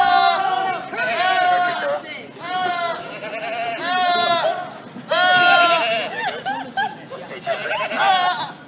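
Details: Goats screaming in a funny compilation of silly noises: loud, wavering, human-like harmonic yells come one after another, some rising and falling, with people talking and chattering in the background.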